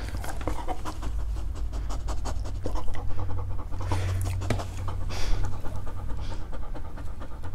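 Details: Dog panting rapidly and evenly while trying to eat fruit. Dense rhythmic breathy pulses run throughout, a little louder in the middle, over a constant low rumble.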